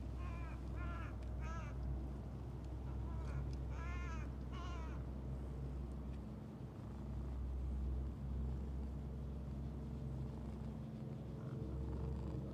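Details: Stray cats, a calico with a heart-shaped marking and a mustached black-and-white cat that pushes in while the calico is being petted, give short rising-falling meows near the start and again around four seconds over a steady low engine-like hum.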